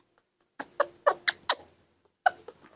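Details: A newborn baby monkey in care, hungry but refusing milk, gives a quick run of high, squeaky calls for its mother.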